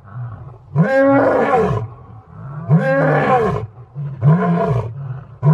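An African lion roars in deep, rough bursts, each lasting about a second, repeated three times.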